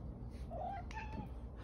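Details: The OK Cat, a house cat whose meows sound like "okay", replies to a woman asking for an okay with a short, wavering tonal meow midway, quieter harmonics above, indoor room murmur beneath.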